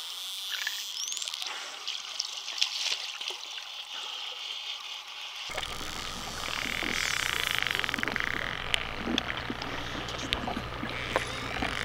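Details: Underwater among a school of spotted dolphins in the Bahamas, busy crackling clicks and scattered high whistles continue, joined midway by a low rumbling and a broad rushing water sound.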